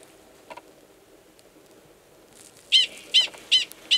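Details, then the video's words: Gunnison's prairie dog male calling near the burrow of an estrous female, Valles Caldera National Preserve, New Mexico, March 2017. Mostly quiet at first with a faint double tick, then four loud, high chirps in quick, steady succession. "Prairie Dog Mating Call"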